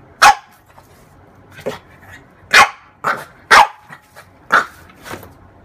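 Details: Playing with her reflection, a female French bulldog lets out loud, abrupt barks about once a second, alternating with quieter huffs.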